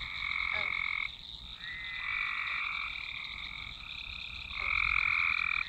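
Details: Many frogs calling together in a swamp, recorded by Nokia Lumia 1020; sustained buzzing trills overlap and shift, growing louder near the end, with a continuous higher-pitched hum underneath.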